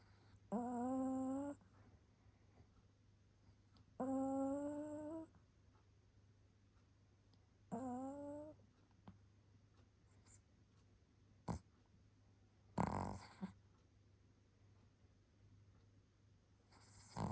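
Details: Pomeranian named Baek Seoltang, asleep indoors and snoring: three humming, tonal snores, each about a second long with a slight upward slide in pitch, spaced roughly every three and a half seconds, then quiet breathing broken by a few sharp bumps.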